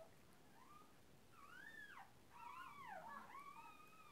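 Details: A 15-day-old Cairn Terrier puppy at a breeding kennel whimpers in thin, arching whines that rise and fall in pitch.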